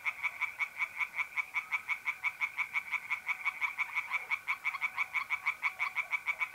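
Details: Pond tree frogs calling by night in north-east Italy in mid-April, an unbroken rhythmic stream of harsh pulsed croaks, roughly three per second, with a faint mole cricket trill behind.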